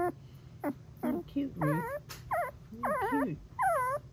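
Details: Golden Retriever puppy, three weeks old, making her first sounds: a run of short wobbling trills and squeaks rising and falling, some with a lower growly edge, faint human voice and low background hum.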